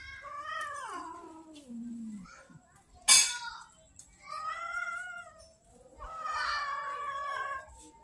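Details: Hungry street cats in Banyuwangi, Indonesia, angry because their feeding is late: a series of drawn-out, wavering meows, some falling in pitch and others rising and falling, with a sharp click partway through.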